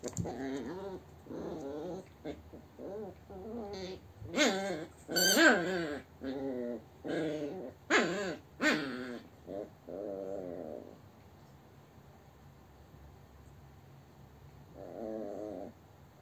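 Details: A playful Yorkshire terrier, chewing on its owner rather than its toys, lets out a run of wavering, whiny yowls and grumbles, each about a second long.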